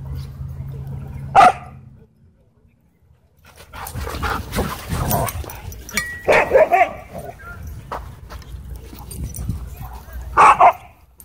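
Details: Dogs playing together at a dog park; three short, sharp barks burst out about four seconds apart, with scuffling movement and people talking in between.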